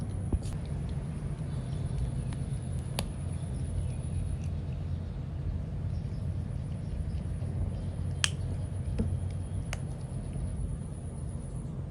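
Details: Low steady room hum with a few sharp clicks and snaps, no animal voice heard.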